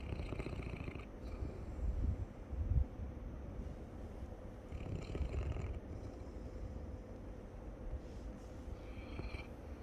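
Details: Labrador snoring while asleep: low, rumbling breaths below a faint steady hum, with louder snorts around two and five seconds and brief hissy exhales between.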